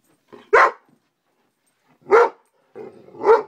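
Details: Scared of a bug, an 11-month-old Great Dane mix barks three times indoors. The gruff, heavy woofs come about one to one and a half seconds apart, with quiet gaps between them.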